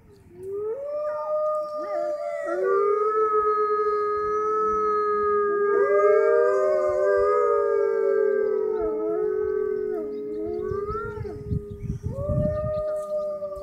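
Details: Chorus of captive wolves howling at the Toronto Zoo's Canadian Pavilion, Canada, near closing time: many overlapping steady and wavering tones at different pitches, building into a dense harmony before breaking into short yips.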